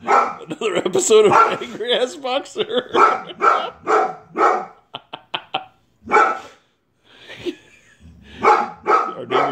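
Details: White female Boxer, angry, barking at a man cleaning the neighbour's gutters; wavering whiny vocal sounds at first, then a fast run of short sharp barks and clipped yaps, a pause, more barks, with a person talking over parts.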